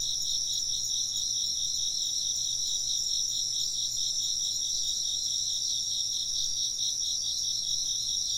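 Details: Steady high-pitched insect chorus: quick beating pulses in the lower voice and an unbroken whistling tone higher up, continuing evenly from start to finish over a faint low hum.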